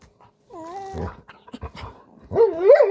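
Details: Bernedoodle whining during brushing, a second dog present to reassure it; a thin, falling whimper followed by a louder, rising and wavering cry near the end, with faint scuffling.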